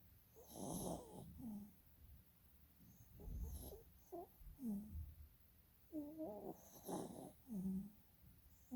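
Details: Sleeping dog snoring with its eyes rolling, giving uneven nasal snores with low rumbles and short whiny tonal rises at irregular intervals about every second.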